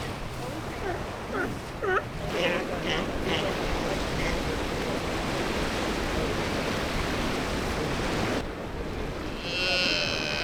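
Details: Galápagos sea lion pups on a white sand beach of Santa Fé Island give short bleating, harmonic calls over the first two seconds, followed by steady surf and wave noise.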